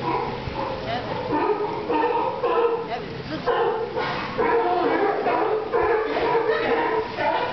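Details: Group of sea lions at Santa Cruz barking continuously, coarse repeated honks from several animals overlapping with little pause between them.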